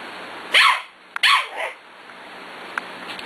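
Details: Playing six-week-old puppies, among them Cat, Kobe and a young female of the Ellie and Little Man litter, with Beauty nearby: two bright, high yipping barks close together, then a softer third yip and faint clicks.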